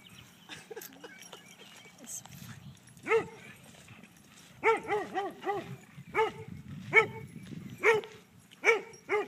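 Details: Dog at a dog park barking to invite another dog to chase it: after soft background chatter, a run of about nine sharp, ringing barks in loose clusters over the last six seconds, with faint talking underneath.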